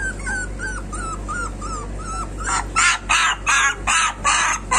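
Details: Street puppies: a string of short falling whimpers repeated about every third of a second, then five or six loud, harsh yelps in quick succession, over a constant low hum.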